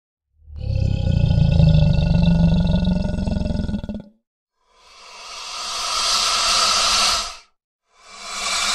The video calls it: Alligator Angry Growl